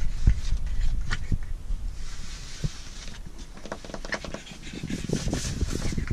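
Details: Blue French Bulldog puppy panting in quick, breathy, somewhat uneven bursts, roughly four per second, over a steady low rumble.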